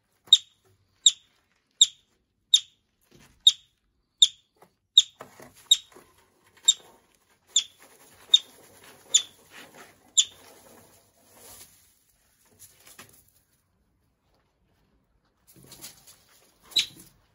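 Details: A yellow-bellied marmot arriving at a wildlife recovery centre in the Pacific Northwest gives sharp, high chirps repeated about once a second.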